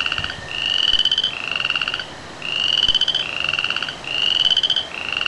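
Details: Frogs and tree frogs sing before rain in bursts of buzzy pulsed rising notes, grouped in runs separated by brief quieter pauses, repeated across the clip.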